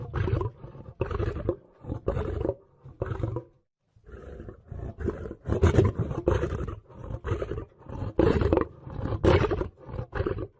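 A lion roars in a series of deep, rough bursts, each lasting about a second.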